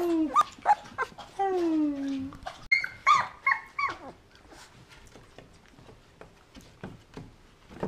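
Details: 20-day-old Golden Retriever puppies give high, squeaky whimpers and falling whines in quick bursts while playing with their siblings.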